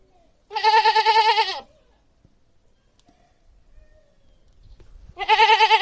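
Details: A domestic goat (Capra hircus) gives two loud, quavering bleats separated by a quiet pause.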